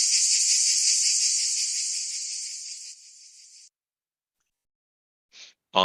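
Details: Crickets played as a roughly ten-second sound therapy sample for tinnitus: a dense, high, steady trilling chorus that fades after about three seconds and stops near four, followed by brief clicks.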